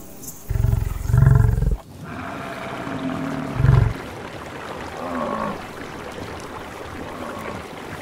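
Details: Wild buffalo in its natural savannah habitat: a loud, deep, throaty bellow lasting over a second, then a short low grunt about two seconds later. Quieter rustling and faint distant calls follow.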